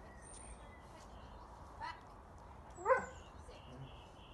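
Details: Coco, a female Doberman, during an obedience skills session: one sharp, loud bark near the middle, preceded by a fainter short yelp, over steady background hiss with thin high bird whistles around it.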